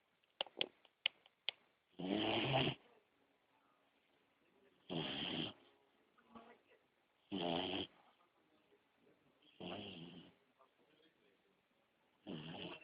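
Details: A sleeping beagle puppy snoring indoors: a few faint clicks at the start, then raspy, breathy snores roughly every two and a half seconds, with quiet breathing between.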